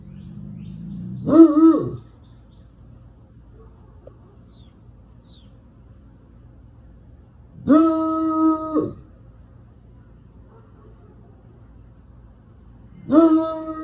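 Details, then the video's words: Bloodhound, a scent-hunting hound breed known for a deep, musical bark, gives three drawn-out baying calls, each about a second long, steady and resonant with rich overtones, separated by long quiet gaps over a low background hum. "Bloodhound Barking Sounds - Bloodhound Sound Effects"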